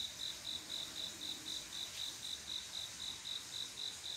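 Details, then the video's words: Cricket chirping at midnight in summer, the male's mating call to a female; bright high pulses repeat about four times a second in an even beat over faint insect background. "조용한여름밤 귀뚜라미소리"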